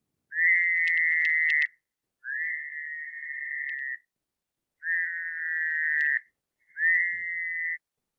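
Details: Fowler's toad, with a smoother call showing less vibration than the American toad, possibly a regional difference: four long, even, nasal buzzing trills of about one and a half seconds each, separated by short pauses.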